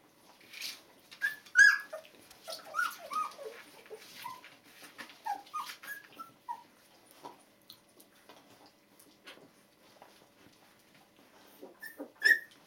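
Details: Two-week-old Border Collie puppies from a litter born 15 February 2013, sire Vallhunden Tom, dam Borderness Jippii; high squeaky whimpers and yips crowd the first seven seconds, then soft rustling, with two sharp squeaks near the end.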